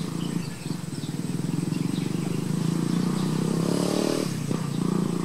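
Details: Close, loud humming of honey bees at a hive: a deep, rich drone that holds steady, briefly rises in pitch and intensity near the middle, then drops back, over a light outdoor hiss.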